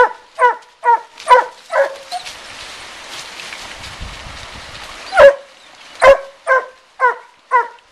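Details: Coon hounds Suzy and Sandy bark at a raccoon in a den tree by a river in Taylor County, Kentucky. Quick ringing barks open the clip, break for about three seconds of hissing noise, then resume in a steady run.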